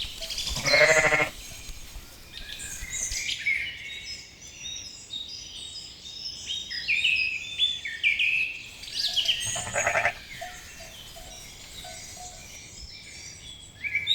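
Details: Two loud, shaky bleats about nine seconds apart from little lambs grazing in a cool green forest, with busy chirping and whistling birds throughout.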